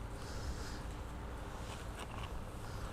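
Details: An injured domestic cat, hurt in a fight with other cats and living at a school, purrs in a steady, low, continuous rumble at a vet clinic while wearing a collar and being massaged and having its eyes cleaned, with faint handling noises.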